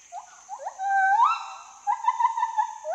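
A lar gibbon gives clear, hooting whistles: short rising notes, then a long swooping note that climbs steeply, followed by a wavering, trilled hoot.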